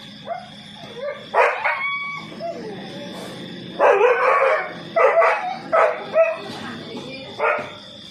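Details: Two house dogs ganging up on an intruding cobra in Nathawee District, Songkhla, Thailand, on CCTV footage; a series of harsh barks, some single and some doubled, spaced irregularly over several seconds, with background music and a constant electronic tone.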